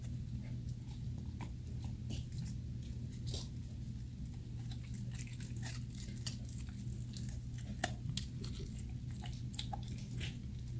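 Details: Dogs gnawing on dog chews indoors, eating like food fighters: a dense run of sharp crunching bites and clicks, some close together and some spaced, over a steady low hum in a small room.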